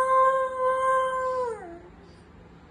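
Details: Siberian Husky, a pet dog, talking: one long, steady, tonal note held for about a second and a half, then sliding downward and fading out, with a quiet indoor background.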